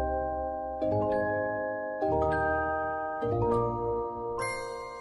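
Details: Bright mallet-percussion music, glockenspiel-like tones in a stepping melody over a low bass, with no animal sound present.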